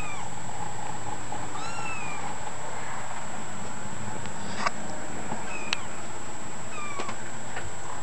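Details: Kittens giving a few thin, high, arched mews near the start and again toward the end, set against a steady background hiss with occasional faint clicks.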